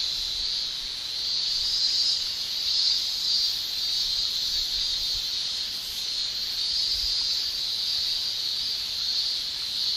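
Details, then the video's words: Cicadas in summer in Japan: a loud, constant, high-pitched shrill with slow surges of loudness, strongest around the second and seventh seconds. Occasional soft low thuds sit beneath the drone. "Japan Summer Cicada Shrilling"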